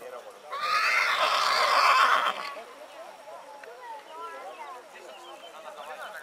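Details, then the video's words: In spring a purebred horse gives a strong, buzzy neigh lasting nearly two seconds, then falls silent while faint wavering chirps continue in the background. "CABALLO PURO RELINCHANDO"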